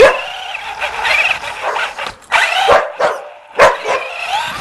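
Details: Puppy in pursuit of a remote-control car, mixing drawn-out whining, wavering tones with a few abrupt, louder yelps.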